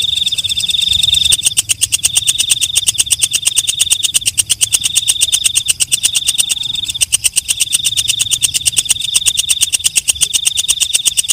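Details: A walang kecek katydid gives a high, thin buzzing trill at first, then shifts to a long series of loud rhythmic clicks layered on the shrill drone, with short gaps in the trill.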